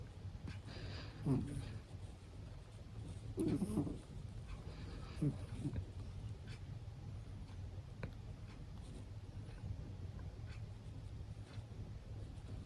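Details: Senior Abyssinian cat snoring indoors: three soft, rasping breaths about two seconds apart, then quieter breathing over a steady low background hum.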